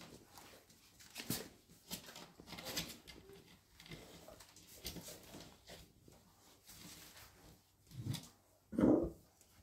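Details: Golden retriever puppies, 31 days old: soft scattered rustles and snuffles, then one short, louder, low whining yelp near the end.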